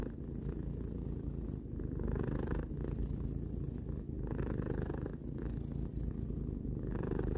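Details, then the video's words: Close, steady purring of a three-year-old cat indoors: deep rumbling throughout, with hissing breath-like swells recurring every second or so and slight breaks between inhale and exhale. "Cat purring"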